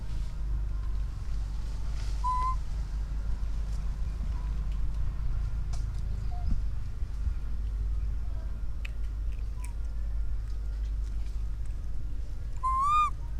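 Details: An orphan baby monkey calling to its mother gives two short, clear whistled coos, a faint one early and a stronger slightly wavering one near the end, over steady low rumbling background noise.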